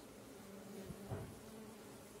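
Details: Stingless bees from a beekeeper's kept colonies, with swarms moving about: a low, steady humming buzz with a brief louder swell near the middle, under faint background hiss.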